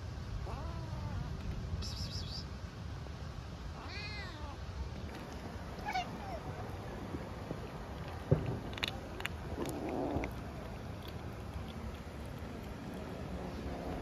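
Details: Hungry stray kitten in Istanbul calling for food and affection with a timid voice; a few short, arched meows in the first half, then clicks and rustling over low background rumble.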